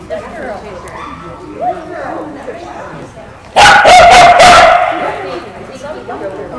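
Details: A female Australian Kelpie being tested on herding goats in the United States gives a short burst of loud, rapid barks after a stretch of quiet voices, with a person's speech heard before.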